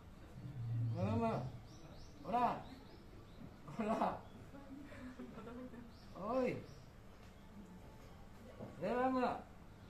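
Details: Roaring series from Seramu, a male white lion at Okinawa Zoo & Museum, 22 April 2022: five loud, harmonic, arch-shaped grunts about two seconds apart, each swelling and fading, with faint chirping in the background.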